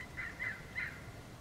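Young foxes give three quick, high yipping barks in a short burst.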